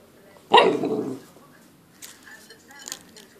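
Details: A nine-week-old Golden Retriever puppy, playing with a plate indoors, gives a single sharp, loud bark lasting about half a second, followed by quiet with faint soft rustles.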